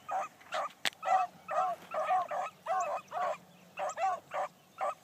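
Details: Young female Blackcreek hound named Bee, run for the first time one morning, barks steadily while driving down a trail: short, bright bark notes repeated roughly every half second, with one sharp click partway through.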